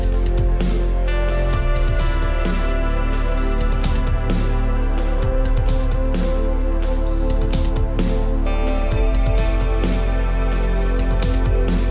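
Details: Steady electronic background music with layered synth tones and a pulsing beat fills the whole stretch.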